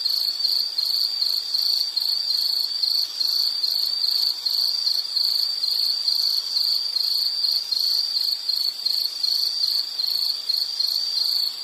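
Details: Insect chirping steadily at a high pitch, a narrow band of fast pulsed trills repeating without pause, with fainter higher overtones and no other sounds.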